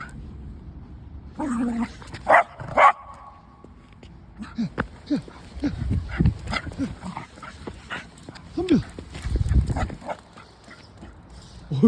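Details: A pet dog in a play fight, giving short yips, barks and growly bursts in quick irregular clusters, mostly in the second half, while a person talks and exclaims nearby.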